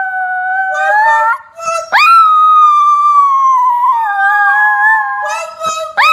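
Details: Morning howling indoors from Diva, a Chinese Crested Powderpuff on Australia's Gold Coast: sustained wavering tones, a sharp upward swoop into a long slowly falling howl, then shorter rising yelps overlapping a second voice.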